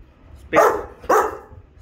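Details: Rottweiler barking on command during training, two sharp loud barks about half a second apart, each following a spoken command to speak, with a person's voice around them.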